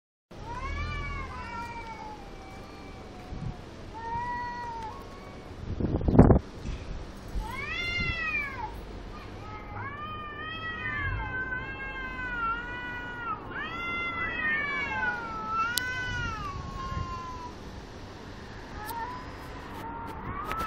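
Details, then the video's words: Several cats meowing in turn, arched harmonic-rich mews rising and falling, some short and some drawn out, overlapping through the stretch, with one sharp thump partway and a low background rumble. "cats singing song"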